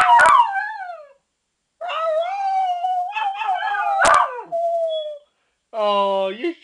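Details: Pet dog howling at an alarm clock indoors: long wavering tonal howls sliding down in pitch, several drawn-out phrases with short pauses, a woman's voice encouraging it to sing along.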